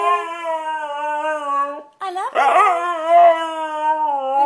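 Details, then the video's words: Loud singing from a white Siberian Husky, a long level howl with rich harmonics, a brief pause near two seconds, then a rougher, warbling burst that smooths back into a sustained steady tone. "White Siberian Husky singing Loudly"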